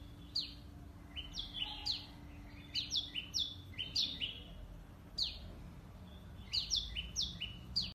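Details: Squirrel filmed on a Nikon D5600 with a Tamron telephoto lens, repeating bright, falling chirps in clustered bursts of two to four, with a brief pause midway; faint steady hum underneath.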